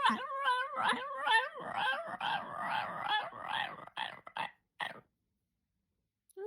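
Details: Pet dog, male, that chatters constantly at its owner like a human, giving a run of wavering, howl-like moans that rise and fall about twice a second for five seconds, then silence.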